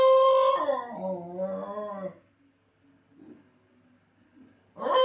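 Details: Basenji howling while left alone with its owner gone, indoors in a small room: a sliding, wavering howl falling in pitch over two seconds, then quiet soft whimpers before a new howl starts at the end.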